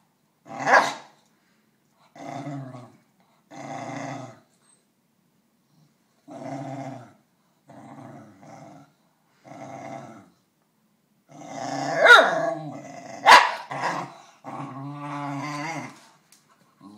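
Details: A Basenji gives a string of short, growly, yodel-like moans, wanting another Basenji's snack.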